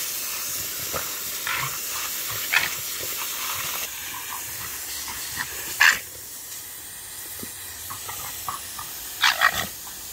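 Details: French Bulldog playing with a garden hose it treats as alive. Short, sharp, snorting bark-like bursts come at irregular moments over the steady hiss of spraying water, with a cluster of several yaps near the end.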